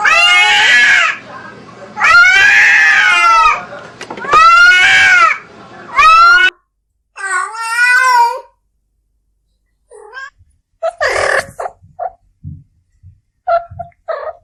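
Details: Cat yowling as a mating sound: four loud, harsh, wavering cries in quick succession, then a higher quavering meow, followed by scattered faint fragments and brief silences.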